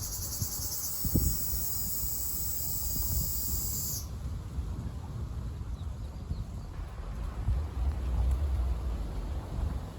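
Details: Ryukyu large brown cicada, called nābikachikachī in Okinawan dialect, recorded on Okinawa on 4 June. A dense, steady, high buzz holds for four seconds, then cuts off, leaving low rumbling background noise.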